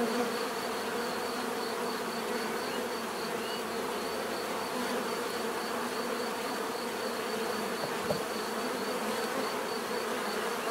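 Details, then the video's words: Bees heard in a natural setting: a dense, steady swarm-like hum with a drone near 250 and 500, constant through the whole stretch, plus a faint pulsing high tone and a soft thump near the eighth second. "bees therapy relaxing natural buzzing sound"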